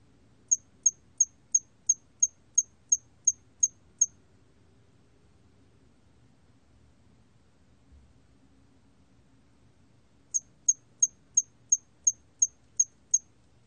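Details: Chirping of a hairy cricket from Korea, 2020: a run of ten sharp high-pitched pulses at roughly three per second, a long pause, then nine more in the same rhythm; faint low background noise.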